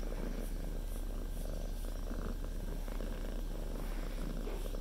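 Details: Pet cat settled on its owner's lap, purring continuously: a low, even rumble with a pulsing texture, plus faint soft rustling now and then.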